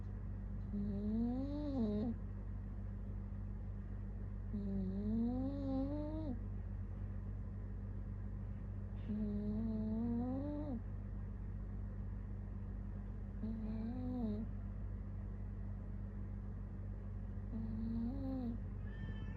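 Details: Cat snoring: five drawn-out voiced breaths, each a wavering tone that climbs and then falls away. Faint breathy hiss accompanies each one, with an unbroken low hum in the background.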